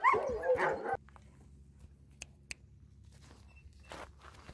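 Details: Friendly sled dogs in Alaska, trained to be sociable, greet a visitor: a loud, rough burst of barking and yelping fills the first second, then near silence with a low steady rumble and a few sharp clicks.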